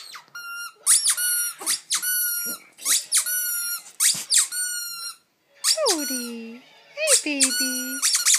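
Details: Poodle howling indoors in a run of short, high, tonal yelps about every half second, then longer howls that slide downward and waver, with brief gaps between phrases.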